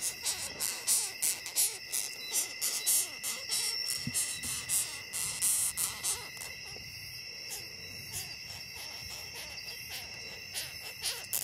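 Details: Handled longhorn beetle in a Ghanaian forest voicing displeasure: rapid, irregular series of hissing, high-pitched rasps, roughly three a second, fading toward the end, with continuous shrill insect chorus behind.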